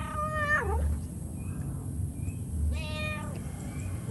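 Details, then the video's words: Mother cat calling to her kittens with two separate meows, the first bending downward at its end, the second level and shorter, then a few faint high thin tones in a quiet pause. "SUARA INDUK KUCING MEMANGGIL AANAKNYA"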